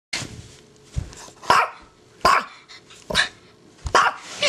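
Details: Pet dog, six years old and female, barking while playing indoors: short, rough, cough-like barks roughly every 0.7 seconds, with a faint steady hum in the background.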